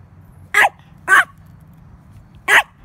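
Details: Roscoe, a chihuahua puppy meeting a cicada for the first time, gives three short sharp yapping barks spaced about half a second to over a second apart, over a low steady background hum.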